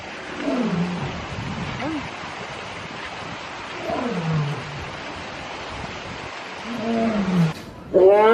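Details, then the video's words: Lion calling with three drawn-out, downward-sliding moans spaced several seconds apart over a steady hiss, followed by a brief higher, wavering sound at the end. "suara singa / lion sound"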